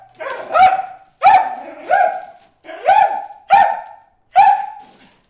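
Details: Barking from Bruce the dog aimed at fish in the water hole: six sharp, tonal barks with bright harmonics, spaced roughly a second apart, some rising at the start.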